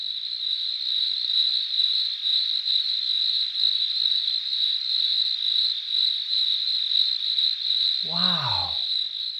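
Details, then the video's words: A cricket gives a steady, high, pulsing chirp without pause, made by rubbing its front wings together, ending with a brief spoken exclamation. "let's listen to the sound a cricket makes and you tell me if the cricket is singing"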